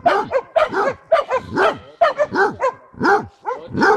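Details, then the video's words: Hunting Basset hound Jenny gives tongue at a wild boar, Šaštín, Slovakia, 10 January 2014; about eight hoarse barks in four seconds, each with a drawn-out falling tail, some doubled. "Basset hound Jenny hlásič u diviaka"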